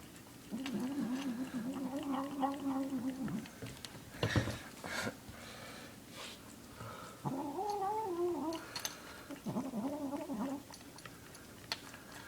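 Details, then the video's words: Male domestic cat making weird noises while eating his food; drawn-out, wavering mid-pitched moans with rich harmonics, several bouts separated by short chewing clicks and pauses. "Funny cat making weird noises while he eats his food"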